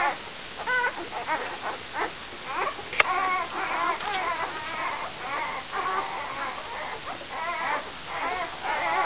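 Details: Newborn brown Labrador puppies, five days old, of Benja's E litter, whine in thin, shaky rising-and-falling squeals, many short cries overlapping, with one sharp click near the three-second mark.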